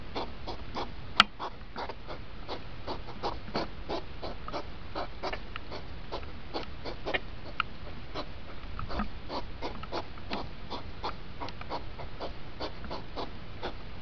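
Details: Speeded-up hedgehog rut, two hours compressed into five minutes: dense train of brief puffing snorts repeated quickly and evenly, with one sharp click near the start and low rumbling background.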